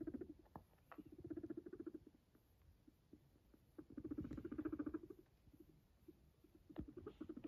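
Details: Indoors, a guinea pig purrs after approaching its owner. The low, rattling pulses come in short bursts of about a second each, separated by quieter gaps with light clicks and shuffling.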